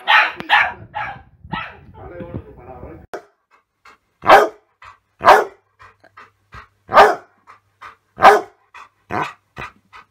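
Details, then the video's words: Dog barking: a jumble of mixed sounds at first, then loud single barks spaced about one to two seconds apart, with softer ticking sounds in between. "Dog Barking - Funny Dogs Barking And Puppies Barking"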